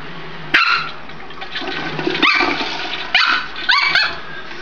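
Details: A Pomeranian puppy at home goes wild over a flushing toilet, giving four short sharp high barks amid the rushing, hissing noise of water, with a person calling softly in Spanish beforehand.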